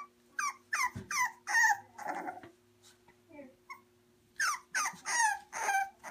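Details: English Bulldog puppies give a quick series of high, squeaky whimpers and yelps, each falling in pitch, in two bursts separated by a quieter pause with soft rustling and a faint voice.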